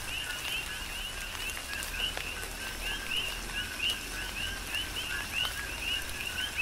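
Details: Rhythmic chorus of coqui frogs in a tropical rain shower, Big Island, Hawaii. Bright rising chirps come several per second from overlapping callers, and soft drops and rain noise run throughout.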